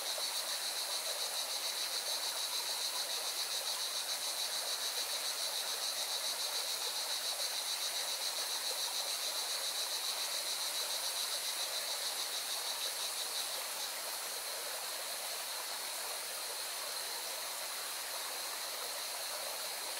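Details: Beside a mountain river in Valencia, Spain, cicadas give a sustained, rapidly pulsing high buzz that softens after about thirteen seconds, while the river's constant rushing noise fills the background.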